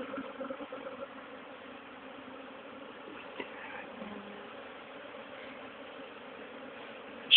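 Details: Honey bee swarm, caught after leaving with the old queen and re-hived into a poly nuc, late April 2011; a steady low droning hum holds throughout with faint voices underneath and a sharp knock at the very end.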